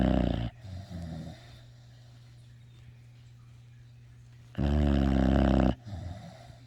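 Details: A sleeping puppy snoring: a loud rasping snore at the start, softer low snuffles, then another loud harsh drawn-out snore near the end, over a steady low hum.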